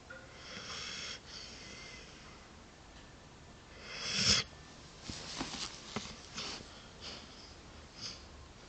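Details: Jack, a sleeping dog, snoring indoors: wheezy, hissing snores with a loud snort burst midway, followed by several short sniffing breaths against a low background hum.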